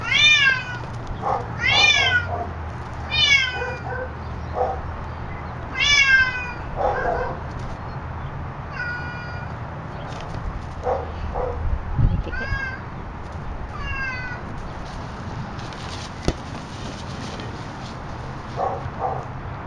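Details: A pet cat learning to play with her ball indoors gives a run of clear, high, arching meows, several in quick succession then spaced out, each sliding up and down, over a low steady background hum.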